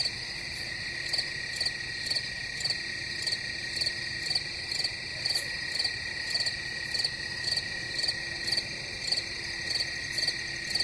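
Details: Crickets keep up a loud high trilling chorus, with crisp chirps repeating near twice a second and a faint steady low tone running underneath.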